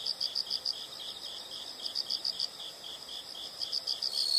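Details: Insects heard as a nature sound: soft, high chirps in short pulsed bursts, several per second, repeating steadily over a faint hiss of background noise.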